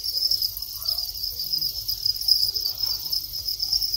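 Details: Male Thai crickets calling in a breeding colony after their final molt: an unbroken, shrill pulsing trill, even in level, over a low rumbling background and faint scattered murmurs.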